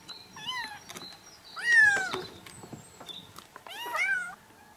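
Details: Kitten calls intended to attract a cat: three separate mews, the middle one longer and falling, softer than the rest, with light background rustling between cries.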